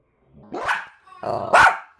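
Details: Dog barking, played in slow motion: two drawn-out, low, smeared barks about one second apart, the second louder and brighter.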